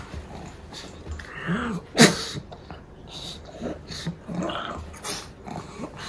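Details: Pug dog indoors, a short sharp broadband snort burst in the middle, with soft whiny nasal tones before and after and quieter snuffling throughout.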